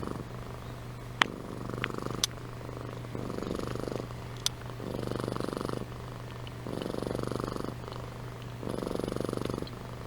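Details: Amy the cat asleep, purring and snoring in regular rumbling pulses about every one and a half seconds, a few sharp clicks punctuating the quieter stretches.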